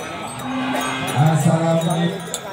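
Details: Cattle at a cattle contest in Kediri, Indonesia: one low, steady moo lasting about a second, rich in harmonics, rising slightly at the start, set against background music, a bell-like jingle and crowd noise.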